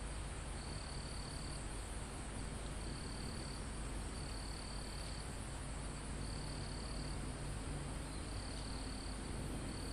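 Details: Crickets calling in a calm mountaintop forest, recorded live: evenly repeated high trills lasting about a second each, six bursts in turn, over a constant high insect hum and a thick low roar of wind.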